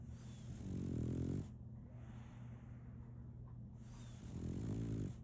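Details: Two rough, rumbling snores from Solaimy, a female French Bulldog puppy fast asleep, separated by a quiet pause of about three seconds, with a steady low electrical-sounding hum underneath.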